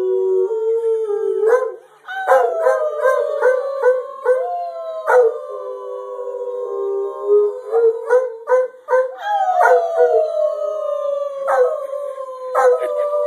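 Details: Pet dog howling after being coaxed to join in: long drawn-out wavering howls that slide slowly downward, several overlapping voices in rich overtones, broken by short sharp bursts and brief pauses.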